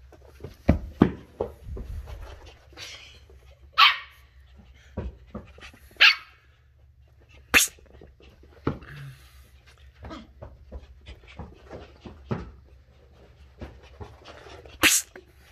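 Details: A curious 10-week-old Sheltie puppy named Ollie, a female, barks indoors while discovering new things. Several short, high yapping barks come at irregular intervals of a few seconds, mixed with thumps, clatter and a steady low hum.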